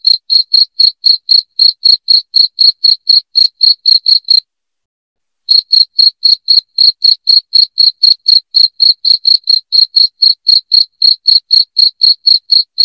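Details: Cricket. A loud cricket gives a rapid, even train of shrill, ringing chirps, about four every second. The pulses break off for about a second, then resume at the same pace.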